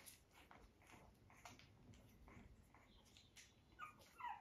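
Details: Puppies on a regenerative farm in County Kilkenny, Ireland, playing, feeding and sleeping; short scattered whimpers and squeaky yelps, ending in two louder high, thin whines, with rustling and movement noise indoors.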